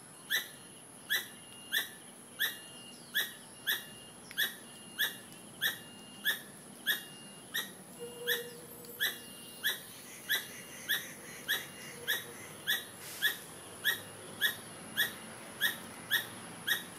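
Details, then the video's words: Squirrel giving a long, even series of short squeaky notes, each a bright tonal chirp with overtones, about one every 0.6 seconds, roughly twenty-seven in all, with a steady high-pitched hiss and faint low murmur behind. "Strange Squirrel sounds"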